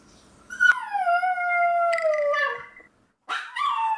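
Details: Toy Poodle Ggoni, alone indoors and crying for the family who went out, lets out a loud, long howling whine that starts high, drops and holds steady for about two seconds, then after a brief pause begins another wavering cry.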